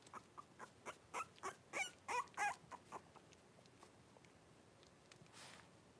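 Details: Litter of five blenheim Cavalier King Charles Spaniel puppies with mother Paris in an indoor puppy pen, about four weeks old; a run of about ten rhythmic whimpering cries, building louder then fading, followed by quiet rustling.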